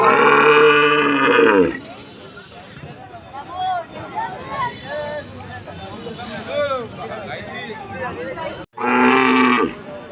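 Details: A cow, tired out in intense sun during hot weather, gives two loud, drawn-out moos with rich harmonics, separated by quieter background murmuring.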